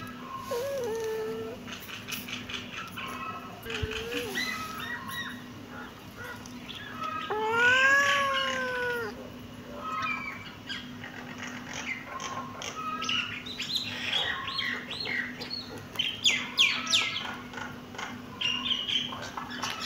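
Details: Kittens meowing: a few brief early mews, then one loud, drawn-out arched meow near the middle, followed by busy, overlapping squeaks and rustling with a constant low hum.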